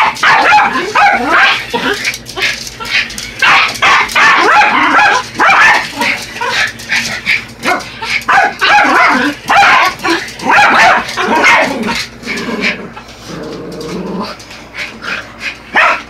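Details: Buddy and Elmo, a pair of Yorkshire Terriers, going after an R/C truck, fire off frantic shrill barks and yips almost continuously, at times mixed with a faint voice and the truck's whine.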